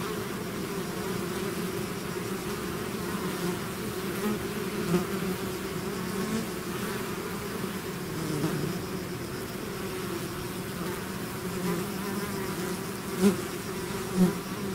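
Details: Swarming bees leaving their hive make a continuous low drone, many overlapping wingbeats blending into one thick hum, with a few brief louder buzzes as single bees fly near, two sharp ones near the end.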